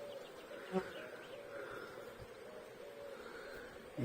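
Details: Honey bee colony hum during a hive inspection seven weeks after installing a nucleus, with a laying queen present; a continuous droning buzz with a few light bumps from frame handling.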